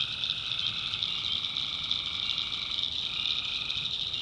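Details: Many tree frogs calling together after dark in a North Carolina swamp, producing a constant high ringing chorus with a slightly lower strand that shifts near the end.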